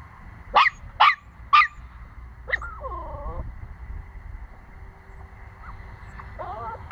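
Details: A 9-week-old Pomsky puppy barking: three sharp, high yips in quick succession near the start, then a softer wavering whine around the middle and another faint whimper at the end, over a low steady background hum.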